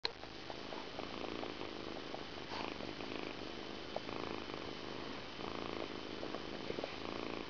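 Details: Persian cat purring steadily through its evening grooming indoors, a continuous low rumbling texture with soft licking and rustling clicks scattered throughout.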